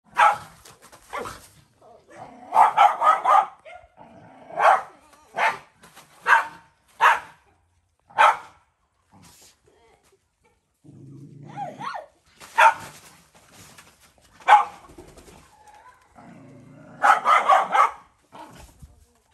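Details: Stray mother dog on a farm in Cambodia, guarding her puppy and threatening to bite a boy who gives it food: sharp harsh barks in quick clusters, broken by low rumbling growls between outbursts.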